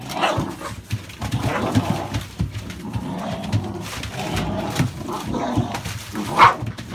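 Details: American Staffordshire Bully indoors among a litter of puppies born 16 November 2017; scattered short yaps and barks through the room noise, with one sharp high bark near the end.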